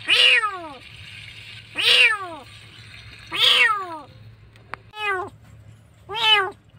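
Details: A kitten, nearly dead and frightened in a dark place, cries with a series of loud, high, falling meows, about five in seven seconds, against a low steady hum.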